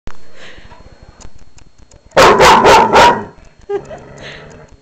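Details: Newly adopted dog from a humane society, barking indoors at night at its own reflection on first meeting a mirror: four loud, harsh barks in a quick burst lasting about a second, with quiet room noise and brief human speech afterward.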